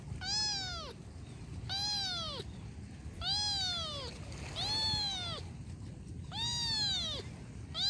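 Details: Kitten meowing repeatedly, five strong, high meows roughly every one and a half seconds, each arching and then dropping in pitch, with faint low background noise.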